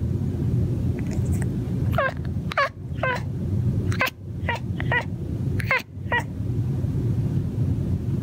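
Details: A male cat on a patio mumbles to himself while hunting birds. He gives a run of about ten short, falling, chirpy chatters with bright overtones, bunched between two and six seconds, over a steady low rumbling background.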